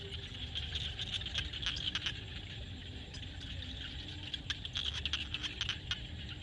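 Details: Sunset in a Cambodian field with a frog chorus: quick, irregular clicks and rattles, about three every second, rise in clustered bursts above a continuous bed of buzzing and a soft low drone.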